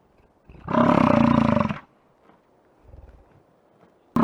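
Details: American bison in Yellowstone park giving a loud, rough, roaring bellow about one and a half seconds long with rich stacked harmonics, then a faint low grunt and a sudden loud burst cut off at the end.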